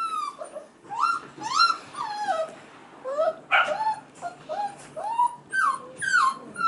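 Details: Male F1b Goldendoodle puppies about five and a half weeks old crying in the background while female littermates play with children; high whining cries, sliding and falling in pitch, come in irregular bursts with pauses between.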